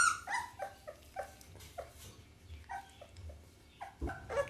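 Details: Pit Bull puppy making short high whimpering yelps, some rising and falling, in quick uneven bursts over a low room hum, with a louder squeal near the end.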